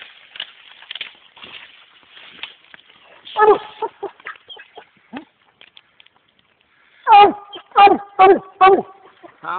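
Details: American Leopard Hound named Monkey baying at a raccoon it treed in the Mongo swamps, up a big cotton tree. Men talk over the first half, then four loud, harmonic barks ring out in quick succession near the end.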